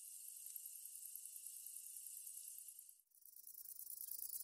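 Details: Long-winged conehead (Conocephalus fuscus), known in Japan as kita-sasakiri, singing a very high-pitched, continuous hissing buzz for about three seconds before it cuts off abruptly, leaving faint low background rumble.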